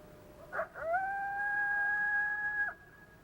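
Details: A coyote gives a flat howl, a long note of nearly constant pitch that tapers slightly at the end, after a brief yip.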